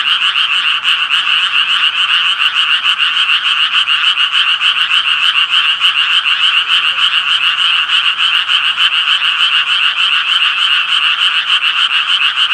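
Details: A dense, unbroken chorus of tree frogs, with raspy, rapidly pulsed croaks layered into a steady grating drone. Individual calls blur together and no other sounds are audible.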